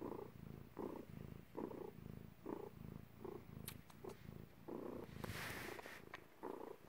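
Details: Cat in labour, giving birth, purring in deep pulsed bursts that rise and fall with each breath, with a few sharp clicks and a brief rustle near the end.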